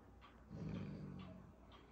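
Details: A female Alaskan Malamute puppy growls at a carved owl, a low, rumbling growl lasting about a second, rough and steady, with faint room noise around it.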